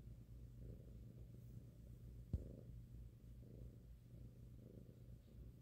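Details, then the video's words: Domestic cat, five months old, rumbling a loud low purr during a head massage while cuddled on a lap; smooth continuous vibration with breathing swells, interrupted once by a brief sharp click midway. "Cute cat purrs loudly when his head is massaged"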